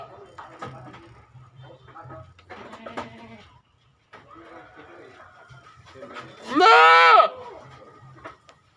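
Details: A goat gives one loud, wavering bleat lasting under a second near the end, rising then falling in pitch; soft murmuring voices and scattered background noises fill the earlier seconds.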